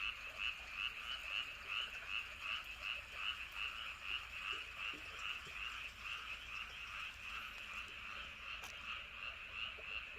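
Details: A chorus of many frogs calling at night around Andong, South Korea, near Wolyeonggyo Bridge and Hahoe Village: dense, overlapping pulsed croaks repeating about two and a half times per second in a steady throbbing rhythm, with a faint low rumble beneath.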